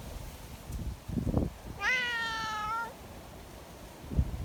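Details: Sociable community cat at an outdoor gathering in strong wind, asking for petting; a single clear, rich meow lasting about a second, flanked by low wind thumps.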